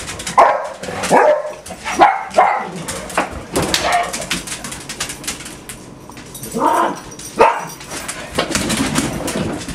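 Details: Several of six pet dogs at home on a typical morning, barking in bursts of sharp, mid-pitched barks, some overlapping, with quieter gaps between volleys and a person's voice nearby.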